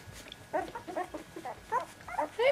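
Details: Puppies in their second week give a quick run of short, high, squeaky whines with stacked overtones, about eight cries packed into under three seconds, some rising at the end, over a faint steady background hum.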